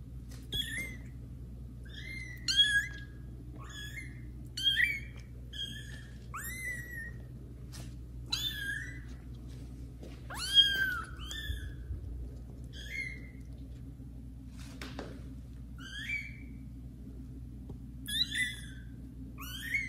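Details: Kittens Caramel and Zephyr meowing loudly indoors while meeting adult cats Kira and Daddy; many high, rising-then-falling meows repeat quickly through the stretch, often one every second or so, with a low room hum underneath.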